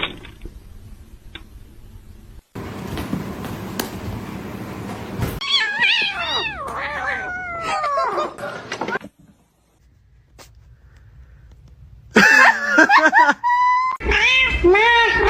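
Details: Domestic cat calling in short cut scenes: drawn-out, wavering meows and yowls that rise and fall in pitch, separated by a burst of rough noise and a quiet pause, with louder overlapping cries near the end.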